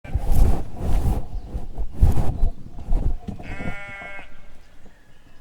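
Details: Sheep bleating: a single wavering, nasal, harmonic bleat lasting under a second near the end, preceded by several loud, low rumbling bursts of noise that dominate the first three seconds, then quiet.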